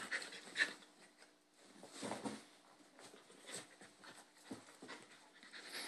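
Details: Two Bull Terrier puppy brothers play-fighting, the younger picking on the older. Quick breathy panting with soft huffs and a few louder scuffling bursts, one sharp spike early on.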